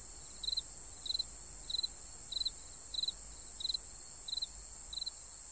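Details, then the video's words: Cricket chirping after dark, eight short, high chirps made of rapid pulses, evenly repeated roughly every 0.6 seconds, over a persistent high-pitched hiss. "Real Cricket Chirping Sound | Cricket Noise"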